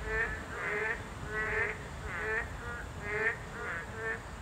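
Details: Boreal digging frogs, a protected species, calling at their breeding habitat in Korea: a chorus of short nasal croaks with a buzzy upper band, roughly one per second, overlapping callers at moderate distance.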